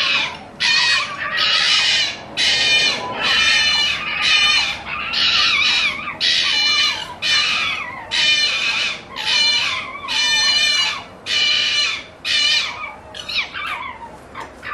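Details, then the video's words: Night-time fox delivering a steady, rhythmic string of hoarse, barking screeches, about one each second for fifteen seconds, each cry harsh and rasping with a wavering tonal edge. "fox sound at night"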